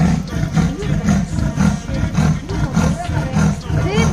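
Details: A leopard at Tyavarekoppa, making loud deep rasping grunts repeated about twice a second, like a saw being drawn; leopard call.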